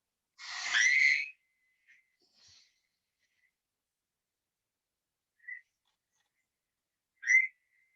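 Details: A Fowler's toad in Ontario gives one harsh, nasal, wheezy bleat lasting about a second, said to sound a little like a crying baby and quite unlike the American toad's long trill.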